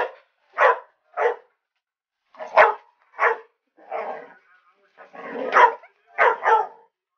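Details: Tucker, a dog, barking excitedly at an alligator head; sharp broadband barks in irregular bursts, about ten across seven seconds, some doubled, with short gaps between.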